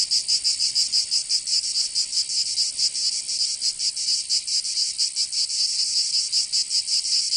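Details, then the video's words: Cicadas in the south of France, Provence, during summer: an intense high-pitched sizzling buzz with uneven throbbing pulses, unbroken from start to finish. "Canto Cigarra 🦗 [ Escuchar les cigarras en verano 10 H]"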